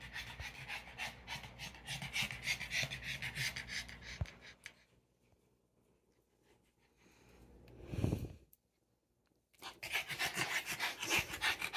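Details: A female Boston Terrier pants in quick, breathy bursts, pauses briefly, then resumes, in a room beside a 20-gallon fish tank.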